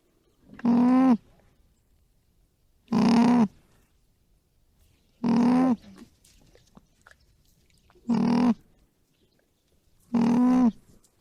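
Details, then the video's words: Soft, even alpaca hums, five low nasal tones of about half a second each, separated by quiet gaps of about two seconds, with a faint rustle between calls. "Cute Alpaca Sounds | Soft & Funny Animal Noises"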